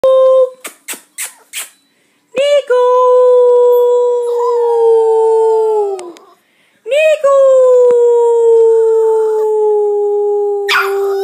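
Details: Eight-week-old puppy: a few short sharp yelps, then two long sustained howls, each holding a steady mid pitch that sinks slowly over about four seconds, with bright overtones and a quiet gap between them.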